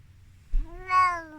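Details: Tiki, a 14-year-old Korat cat born in Thailand and now living in England, around a vet clinic visit: a single clear drawn-out meow, steady then gently falling, with rich harmonics over a low rumbling background.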